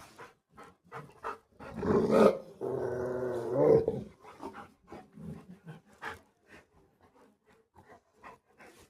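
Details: Rottweiler outside on the road, reacting after spotting a street dog: a loud, sustained, harmonic growl lasting over a second, framed by short gruff bursts and huffs, with quiet human speech nearby.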